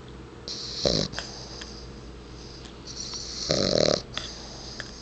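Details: Bulldog asleep indoors and totally out of it, snoring in two noisy breathy snorts about three seconds apart, each roughly half a second long, with a faint hiss between them.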